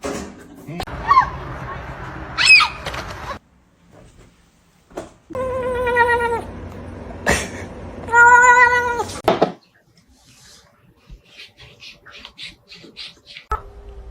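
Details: Domestic cat giving two drawn-out, harmonic meows, each about a second long, the second one louder and slightly falling. A woman talks and laughs around them, with a few thumps and brief clicks.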